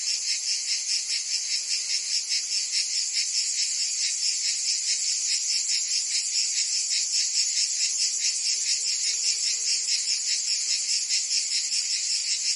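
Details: In southern France's Provence, summer cicadas keep up a continuous piercing buzz, pulsing rapidly and regularly at around two and a half beats a second, dense and unchanging from start to end.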